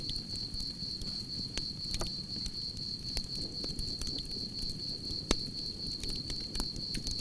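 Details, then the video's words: A constant shrill cricket trill pulses at a single high pitch over the low roar of a campfire, broken by occasional sharp wood pops. "Relaxing Campfire with Soothing Cricket Sounds"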